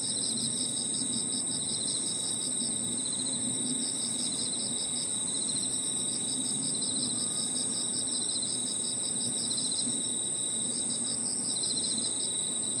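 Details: Park at evening filled with crickets and other insects: unbroken high steady trilling plus stretches of quick regular pulsing chirps, the insect voices dominating over a soft low-frequency background hum.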